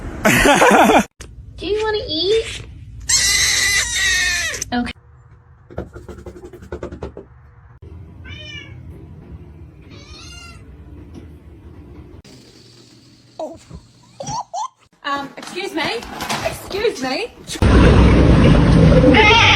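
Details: Talking house cat indoors, giving several short, bending meows in a quick series midway, surrounded by loud human speech, laughter and bursts of household noise at the start and end.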